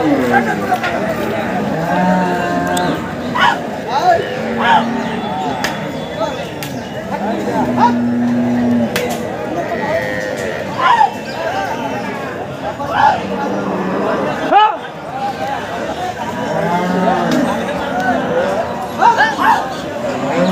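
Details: Water buffalo delivering a female calf amid a busy livestock market; short, low moos recur every few seconds under constant voices and crowd noise, with occasional knocks and clatter.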